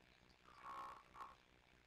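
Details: Kitten Sisko or Mila, on the Tiny Kittens Society live cam, gives a brief two-part trill: a sustained buzzy purring note followed by a short chirp, against a low steady hum.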